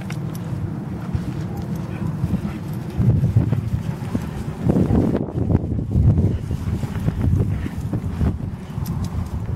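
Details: Two deerhounds named Art and Finn play fighting, giving low rumbling growls and grumbles in uneven bursts that swell in the middle, mixed with scuffling thuds of bodies and paws.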